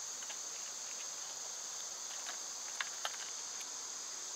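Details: Cicadas in summer, the season they are loud, heard from a wooded spot with birds and squirrels: a steady, high, hissing drone that never breaks, with a few sharp ticks and taps scattered through it.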